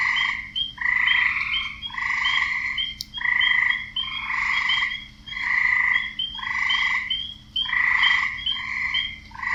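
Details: Frogs croaking in a wetland, a steady chorus of harsh, pulsed calls in overlapping bursts about a second long, repeated roughly once a second with brief quieter gaps, plus a faint low background hum.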